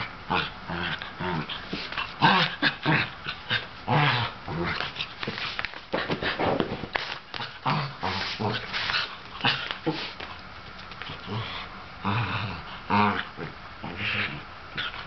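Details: Excited older sable Sheltie pesters a younger ginger tabby cat to play, letting out a long run of gruff barks, growls and whiny yips in uneven clusters, with faint background chatter in places.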